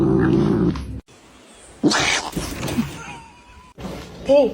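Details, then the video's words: Kitten meowing amid a muffled voice and rustling; a thin, level whine in the middle and a short, bent meow that rises and falls right at the end. "kitten meowing"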